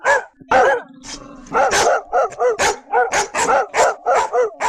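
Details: Aggressive barking from German Shepherd, Labrador and Doberman dogs: a rapid, steady run of loud harsh barks about three per second, with a brief low growl-like stretch near the start.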